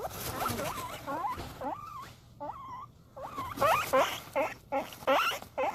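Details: Excited pet guinea pig calling because it is getting food: squeaky whistled wheeks that swoop upward, given in quick uneven bursts, getting louder and more rapid toward the end, with faint background rustling.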